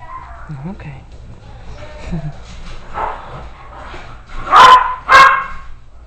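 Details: Two sharp, loud barks follow soft murmuring and a person's voice, around nursing 2-week-old Miniature Dachshund puppies and their mother.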